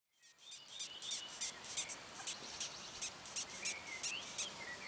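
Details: Longhorn beetles, Cerambyx scopolii, squeaking in June 2015: a train of sharp, scratchy, high-pitched pulses, roughly three per second and slightly irregular, with faint whistled bird notes in the background.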